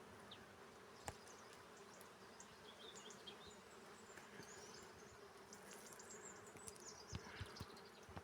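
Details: Honey bees foraging on a carob tree, giving a steady, continuous low hum that holds throughout, with faint high chirps of small birds and a few sharp clicks in the background.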